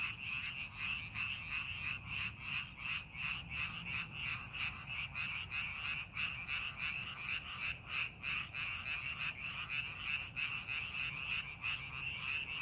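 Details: Chorus of frogs in paddy fields under farming preparation, many callers croaking in quick rhythmic pulses nearly three per second over a continuous bright trill, faint low rumble underneath.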